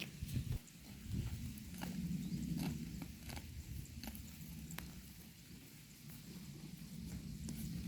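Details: A herd of cows cropping pasture grass: rhythmic tearing and crunching bites, with irregular clicks and a muffled low rumble throughout.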